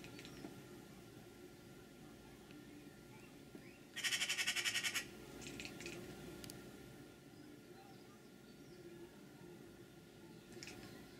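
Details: One-year-old cat Bella chatters at a magpie on the window sill above her, beyond leaping reach; a single rapid run of high clipped pulses lasting about a second stands out against a quiet indoor background.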